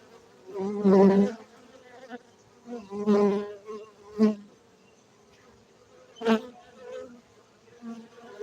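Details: Buzzing of honey bees kept for honey in Gayo, Bener Meriah, Aceh, Indonesia; a continuous low hum broken by loud fly-by swells about every one to two seconds, each bee rising and fading close to the recorder.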